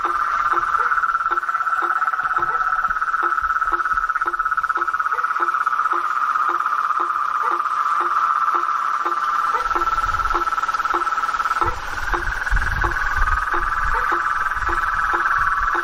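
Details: Blacksmith tree frogs in a swamp at night giving a long run of regular, low knocking notes, about two per second, under an unbroken high chorus drone, with a rustling rumble joining midway.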